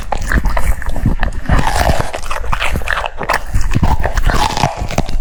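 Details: A French Bulldog munching cucumber, crisp crunches and wet mouth sounds in quick irregular bursts, recorded very close.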